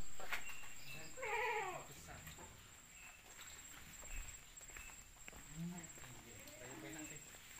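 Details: Jumbo Peranakan Etawah goat at a goat farm giving one loud, wavering, quavering bleat, followed by softer, fainter bleats from the herd, with background voices and farm noise.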